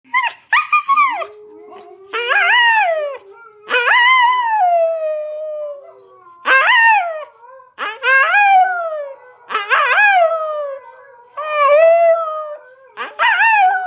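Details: Siberian Husky howling while watching videos on a screen: a run of drawn-out, wavering howls with yodelling rises and falls, each lasting about a second or longer, repeated roughly every two seconds, with a steady low tone from the screen between them.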